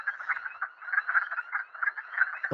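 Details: Wood Frog, among the first frogs heard in March and April, its calls likened to ducks: a continuous chorus of low clucking, quacking notes, densely overlapping with no pauses.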